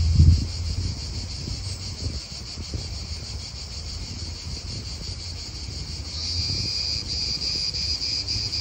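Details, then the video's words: Cicadas in an Italian park, their high buzzing chorus softer at first and swelling louder in the last few seconds, partly masked by gusty wind and low traffic rumble. "Cicadas wind real atmosphere in an Italian park"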